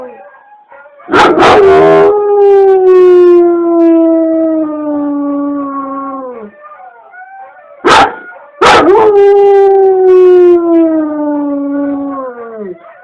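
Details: A dog starts each of two loud, drawn-out howls with a harsh bark-like burst. Each howl slowly slides downward over four to five seconds, with faint whimpers in between.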